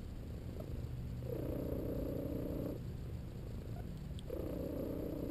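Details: ['Napping pet cat, a male, purring away while massaged. A deep, even rumbling purr alternates with stretches where a squeaking whistle-like tone rides on top, about every three seconds.']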